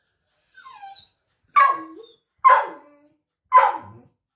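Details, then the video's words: Labrador Retriever answering a woman who talks with it: one soft, high whine sliding down, then three loud, rough barks spaced about a second apart. "Mom talking with Labrador"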